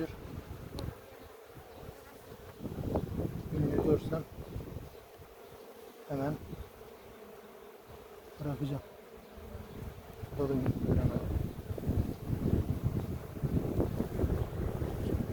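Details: Honey bees in an open hive the keeper calls aggressive, checked after honey harvest in Ceyhan village in July; a continuous droning hum under frame-handling rustles and brief Turkish speech.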